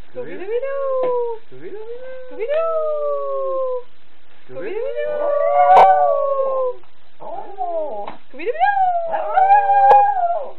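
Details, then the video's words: Pet Yorkshire terrier howling along to Scooby-Doo, giving a series of drawn-out tonal howls, each rising and then sliding slowly down, separated by short breaks, with faint background speech or music. "yorkie singing scooby-doo"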